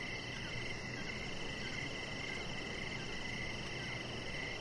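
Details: Evening cricket chorus beside a deck, high shrill chirps throbbing in quick pulses over a constant low hiss and rumble.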